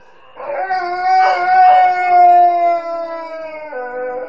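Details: Pet Alaskan Malamute Nukka howling, apparently missing her mum: a single drawn-out harmonic howl, steady then gently falling at the end, with brief rougher yodel-like wobbles in the middle.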